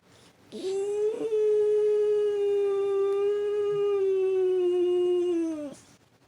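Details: French Bulldog crossed with Boston Terrier (Frenchton) howling indoors in response to the weekly tornado siren: after a short opening yelp, one sustained, even howl held about four and a half seconds, sagging slightly in pitch before ending.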